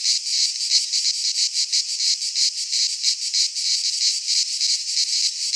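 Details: Cicadas singing in midsummer in a Greek pine forest: a dense, continuous high buzzing chorus with fast pulsing throbs, roughly three per second, steady and unbroken, with nothing else audible.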